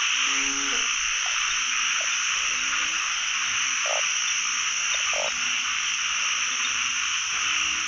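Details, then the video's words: Pond full of calling narrow-mouthed frogs on the first frog hunt of the year; short harmonic croaks repeat irregularly, with a few brief louder notes, all over a thick, continuous high buzzing drone. "จับอึ่งครั้งแรกของปี ร้องเต็มสระเลย"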